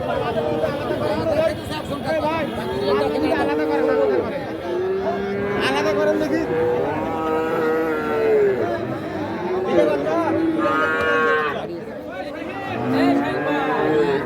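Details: Cattle at the traditional Ambari cattle market in Parbatipur, Dinajpur, Bangladesh, on Friday 29 December 2023, where calves were sold for fattening. Several drawn-out, wavering moos overlap amid constant human chatter and crowd noise.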